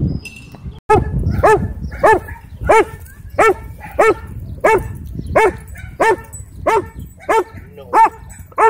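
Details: Sheriff's K-9 Belgian Malinois at a dog park in a Texas county, trying to attack, barking loudly and steadily, one harsh bark roughly every two-thirds of a second, while a man repeatedly calls the dog to come.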